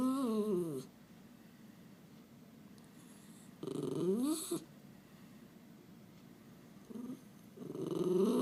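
A Miniature Schnauzer gives wavering, sliding whines and grumbles in short bursts with quiet pauses between.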